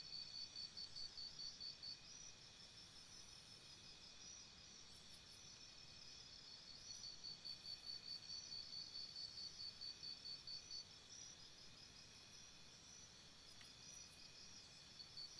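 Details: Nighttime crickets chirping by a campsite: quick trains of high, evenly pulsed chirps for about two seconds, a pause with a steady shrill hum, then a longer four-second run of pulses. A faint ringing drone persists throughout.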